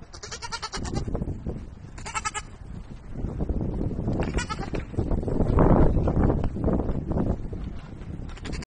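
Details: Playful baby goats bounding about; several wavering, harmonic bleats around the start, two seconds and four and a half seconds, over heavy low-pitched rumble and thumping.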